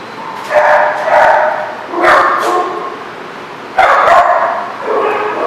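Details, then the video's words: Dogs barking at a place called the Barking Lot, recorded 24 March 2014: several short harsh barks in clusters, some overlapping, with gaps of quiet between bursts. "The Barking Lot"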